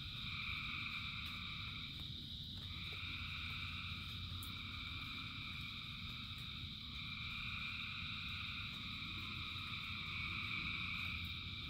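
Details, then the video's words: Frog chorus in the rain, thousands of voices merged into continuous high trilling tones that briefly dip near the two-second mark, with constant rain hiss and a low rumble beneath. "Frogs in Rain 2 Hours of Frogs, Thousands of Frogs Singing"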